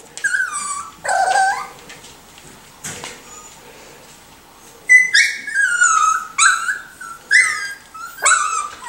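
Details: Four- and six-week-old Miniature Schnauzer puppies whimper and yelp indoors, high wavering cries sliding downward, in clusters with short quiet pauses between them.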